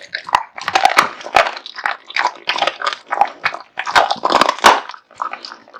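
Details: Kotetsu, a male American Bully kept as a pet, devours a big meal of raw meat and bones: wet crunching and biting bursts in uneven clusters, pausing briefly between bites.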